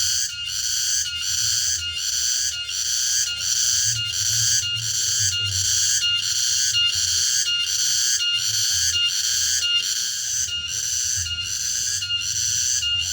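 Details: Cicadas (tonggeret) singing in the late afternoon in a rural interior area of Indonesia; a loud, shrill, pulsing buzz swells and dips in regular beats about every second and a half for the whole stretch, with faint low rumble beneath.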